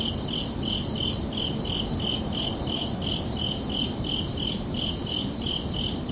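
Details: Crickets chirping under a night sky on a summer evening: steady, even pulses at two high pitches, about two to three chirps a second, over a constant low rumbling hiss.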